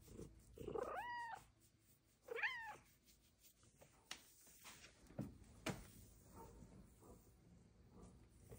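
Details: Female house cat talking to her owner indoors: two clear drawn-out meows about a second apart, each rising and falling, followed by soft clicks and rustles in a quiet room.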